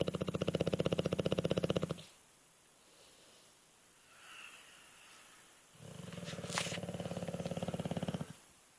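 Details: Sleeping Alapaha Blue Blood Bulldog snoring heavily: two long, loud rattling breaths with a rapid vibrating pulse, separated by a quiet pause of nearly four seconds, a faint soft noise in between.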